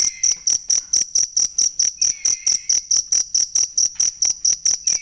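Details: Cricket chirping, offered as a tutor sound for training songbirds: loud, high, ringing pulses repeated steadily about twice a second, with a faint lower sliding tone every couple of seconds.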